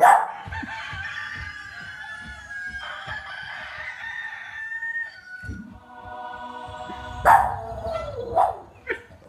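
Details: A Boston Terrier, excited by a TV advert, gives long, wavering howls at a rooster crowing on the television.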